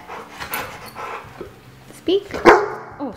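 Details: Pit bull mix, a six-year-old male, barking on command after a man says "speak": two sharp, loud barks close together near the end, preceded by the man's talking and soft background music.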